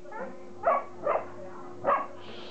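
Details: Playing Border Collie puppies from the litter of Kim and Indi giving four short, bright puppy barks spaced roughly half a second apart, over a constant low electrical hum.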